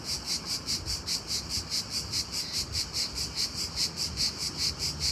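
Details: Cricket calling loudly during the day, crisp high chirps repeated regularly about two and a half times each second, clean and even.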